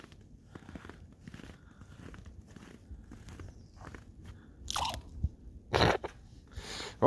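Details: Snow crunches and squeaks underfoot in loud bursts over a quiet, low background, with no animal voice heard.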